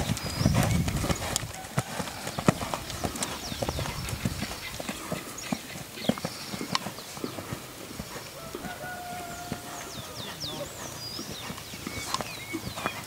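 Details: Purebred Lusitano horse galloping at a stud farm, a quick irregular patter of hoof thuds with louder strikes early on, birds chirping throughout and faint music.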